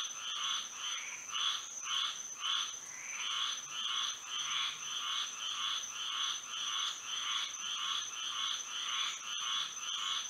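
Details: Frogs calling at night in Florida under moonlight, a dense chorus of short nasal croaks in two pitch bands, repeated roughly twice a second, with brief uneven pauses, over a steady high-pitched whine.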